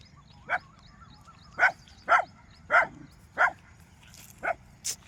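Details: Street dogs barking to chase away wild boars: seven loud, sharp barks at uneven intervals of roughly half a second to a second, over a low, steady background rumble.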